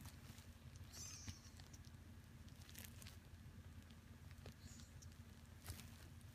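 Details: Shy, indecisive senior house cat, the household's second rescued cat, taken in at the end of spring 2015 and filmed in January 2023, purring indoors: a steady low pulsing rumble with soft tapping and a couple of brief high chirps.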